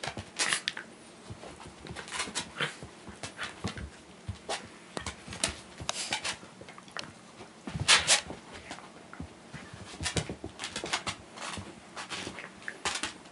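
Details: A pair of Shiba Inus with energy to burn make soft snorts, grunts and quick breathy scuffles in short irregular bursts while playing indoors.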